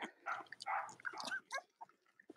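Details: Young Cavalier King Charles Spaniel puppies of mothers Robin and Myra, kept indoors: a run of thin, wavering squeals and whines in quick succession, fading into scattered soft squeaks and clicks.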